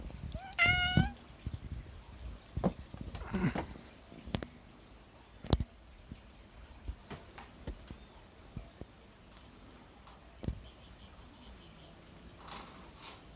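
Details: A short, clear meow opens the recording of a cat perched on a sagging sunshade tarp, after which sharp knocks, clicks and light rustling continue.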